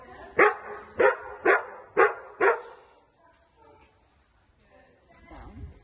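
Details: Dog at a Thursday-night agility training session barking in a run of five sharp, loud barks about half a second apart, then quieter sounds of the hall with faint voices and a brief low noise at the end.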